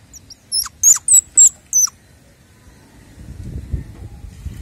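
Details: Baby squirrels being played with give a quick run of five high, thin squeaks, some dipping sharply downward, packed into about one and a half seconds, followed by soft rustling and handling noise.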